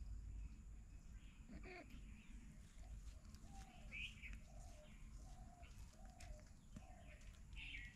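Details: Short, plaintive mews from kittens of a cat family found in a house storeroom, where the mother cat nurses three kittens; small curved notes follow each other about every half second, over low humming noise and a faint click.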